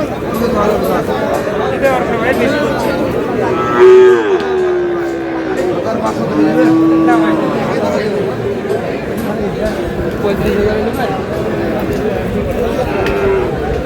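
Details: Sahiwal bull calf at a busy cattle market in Munshiganj, Bangladesh, on 29 March. Two low, drawn-out moos stand out, the first louder, then a second longer one a few seconds later, over constant crowd chatter and bargaining voices.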